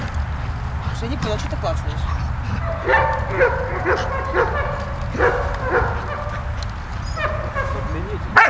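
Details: Playful vocalising from Malta the dog romping with Bulat: bursts of yelping barks and whimpering tones in irregular runs, a low steady hum beneath and a sharp click at the close.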